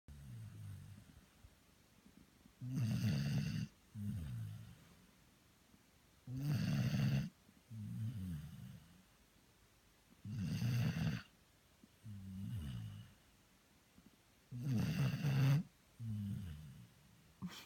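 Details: Merry, a Labrador Retriever, snores while asleep: deep, rumbling snores with a rough breathy edge, each inhale followed by a softer exhale, repeating about every four seconds in a steady rhythm.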